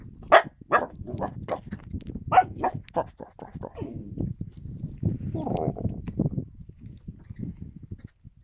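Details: Yakutian Laika recorded in January 2022, giving a quick series of sharp barks roughly every half second for about three seconds, then quieter low rumbling sounds and muffled noises.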